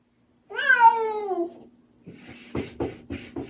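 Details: Bongji, a house cat waiting by the door for his absent owner, lets out a drawn-out meow that slides downward in pitch. A series of soft clicks and taps follows.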